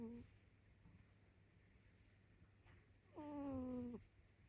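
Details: A domestic cat snoring: a brief fragment at the start, then one steady, slightly falling, nasal tonal snore lasting under a second, over a quiet low hum.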